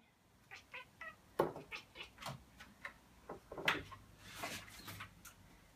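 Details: Playful female cat during a traditional Finnish midsummer darts game, lurking at the darts and 'barking' at them: a string of short, sharp chirps and clicks spaced irregularly, some higher and brighter, with faint room murmur.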